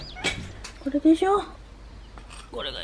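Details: Stray mother cat from a family of strays settled at a house calls for the woman because she wants something: a few short tonal meows, the last rising, between scattered clicks and rustling.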